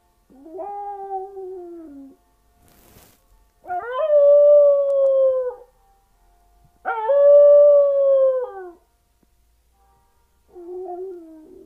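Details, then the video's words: Domestic dog howling, as if singing: four sustained, clear howls separated by short pauses. A tone jumps up at each onset, holds level and drops slightly as it trails off. The final howl is softer and lower. "a singer dog"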